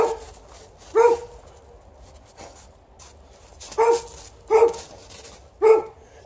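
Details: Alaskan Malamute playing outside with a Golden Retriever, digging and rolling and refusing to come in; four deep, harmonic barks at irregular intervals over six seconds, with a fainter bark at the start, over low background rumble.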